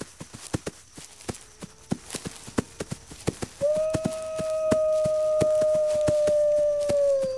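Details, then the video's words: A lone wolf's single long, steady howl begins midway and holds almost level before dipping at the end, preceded by rapid rhythmic clicking taps that continue underneath. "Wolves Howling"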